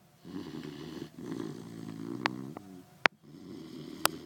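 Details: Puppy asleep snores loudly: rasping, low buzzy breaths about one per second, with a couple of sharp clicks between them.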